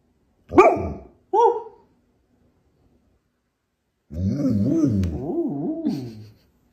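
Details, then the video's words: Dog indoors seeking attention to negotiate for treats: two quick harmonic barks, a pause, then a long wavering two-second howl-like vocalisation rising and falling in pitch, almost talking. "Dog is trying to get dad's attention to negotiate for treats."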